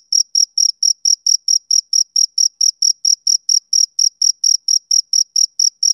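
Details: On a summer evening a male cricket gives crisp, high chirps at a brisk, regular pace of about four each second, alone and clear.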